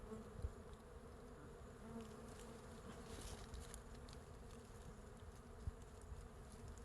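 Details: Massed buzzing from a large wild beehive on a tree branch in a forest, bees covering the comb; continuous low hum with steady tonal bands, a couple of brief knocks and a soft airy hiss above.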